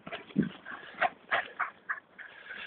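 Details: Female Afghan Hound out running with a canine friend, giving a series of short, high, yelping whimpers, about four quick bursts spaced a third of a second apart over a faint background.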